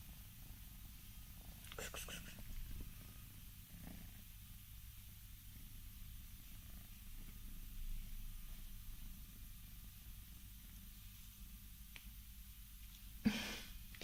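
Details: Scottish Fold cats, four of them, yawning; a steady, low, rumbling purr runs unbroken through the whole stretch, with soft whispered speech near the start and a brief sharp noise toward the end.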